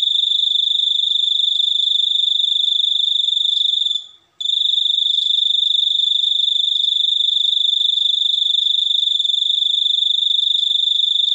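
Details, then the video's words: Cricket with an unusual chirp, offered as a sleep aid, as a tutor sound for songbirds and to drive away rats: a steady high-pitched rapid pulsing trill, broken once by a brief pause near four seconds, then resuming. "suara jangkrik super unik"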